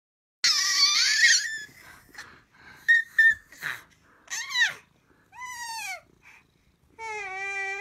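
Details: Kitty crying out indoors: a harsh, noisy opening cry, then several arched mews that rise and fall, ending with a steady, drawn-out plaintive meow.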